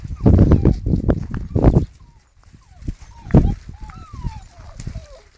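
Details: Black standard poodle puppies at nearly two months old give high thin whines that rise and fall in short looping slides, after a loud stretch of thumping and rustling at the start.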